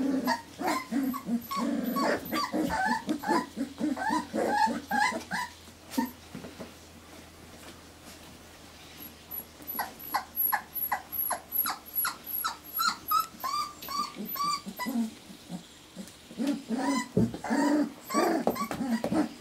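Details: A litter of Irish Terrier pups, four weeks old, makes dense low grumbling whines and soft growl-like noises, shifting to thin high squeaks, with a steady low hum throughout.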